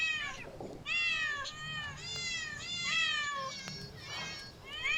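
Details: Nearly continuous meowing from cats in parks, zoos and streets, overlapping harmonic cries that swoop down or arch, about one every second or two, over a low murmuring background.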